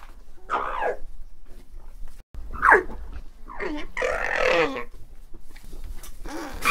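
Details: Alpaca giving a series of harsh, harmonic cries that slide downward, then a longer strained, grumbling call near the middle and a final sharp cry, separated by short pauses, with an abrupt break after two seconds.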